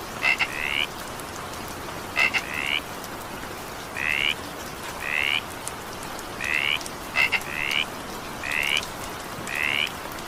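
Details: Frog in evening rain: short upward-sweeping croaks, alternating double clicks with longer rising notes, repeated every one to two seconds while rain hisses steadily.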